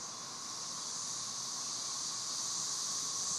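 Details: Periodical cicadas of Brood XIX in a Tennessee swarm on a warm sunny afternoon, singing while mating; a continuous shimmering drone, hissing high and buzzing beneath, swelling slightly louder toward the end.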